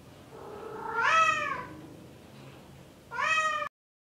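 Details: A male Bengal cat in heat calling for a female: two long, drawn-out yowling meows, the first rising and wavering for over a second, the second shorter and cut off abruptly, in a quiet room.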